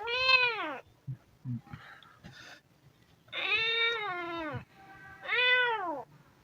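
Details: Hungry kitten meowing three times, loud descending and arched calls with a low steady hum and soft rustling and thumps between the meows.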